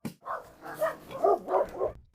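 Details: Farm dogs at night, suddenly rushing out into the dark and barking as if attacking something; a short run of several loud, sharp barks, with a man's voice nearby.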